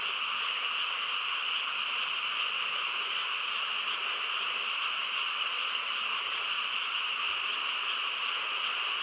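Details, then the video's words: A night chorus of frogs in a quiet rural setting: many overlapping callers blend into a constant, even drone of high trilling, with no breaks or swells in loudness. "고요한 시골 밤에 개구리 합창 소리"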